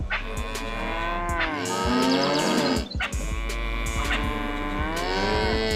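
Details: Farm cow giving long, continuous lowing moos that swell and sag in pitch, nearly unbroken across the stretch with a brief dip in the middle, a constant low drone running beneath.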